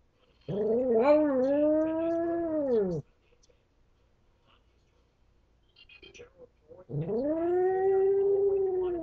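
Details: Pet dog howling while it believes it is alone: a wavering, arched howl lasting over two seconds, then soft whimpers and a second long, rising-and-level howl.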